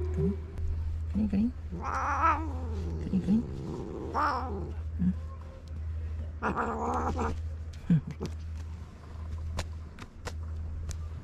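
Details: Stray cat in a Japanese park, irritated and jealous of a walking companion, gives drawn-out wavering yowls near two, four and seven seconds over a steady low hum, with scattered clicks and a person's voice.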